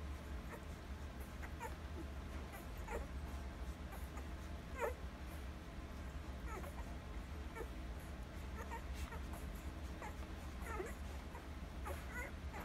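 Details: Alaskan Malamute pups aged one week, nursing, recorded September 25, 2020; brief, faint, upward-sliding squeaks and whines every second or two, one louder yelp near the middle, low hum beneath.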